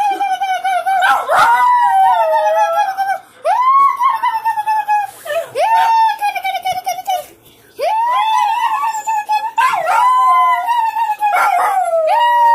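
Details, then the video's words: Pet dog Spike bursts into howling as the kids call the cats inside the house; sustained rising-then-falling howls, several in a row, each a few seconds long, mixed with children's calls and laughter. "Spike howling"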